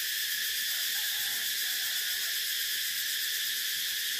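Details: Steady shrill cicada drone, a hissing wall of high buzzing with slight rhythmic shimmer, continuing without a break.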